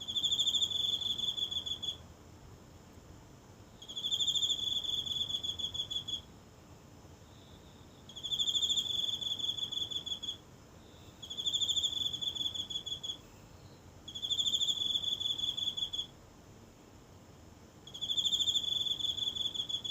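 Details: A single insect calling every night from the grass of a small home garden in Japan, recorded close up on a phone at night: high trilling bursts about two seconds long, separated by roughly two-second pauses, in a quiet setting.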